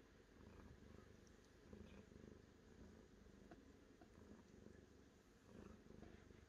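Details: Domestic cat purring quietly and steadily, a low rumbling pulse held throughout with slight swells in intensity and no other clear sounds.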